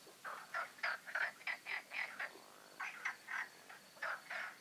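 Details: Pond frogs of the Magic Oasis in a night chorus on the eve of the full moon, giving distinct rasping croaks about four a second, loud and clear over a quiet background.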